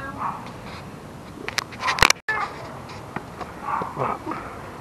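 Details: Tucker, a ginger rescue cat nearly nine years old, gives short mid-pitched meows among clicks and thumps, with a person talking and laughing nearby.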